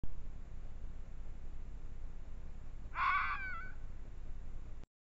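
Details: A red fox (Vulpes vulpes) at night, caught on a trail camera, gives a single hoarse, strained scream that falls slightly in pitch over a low background rumble.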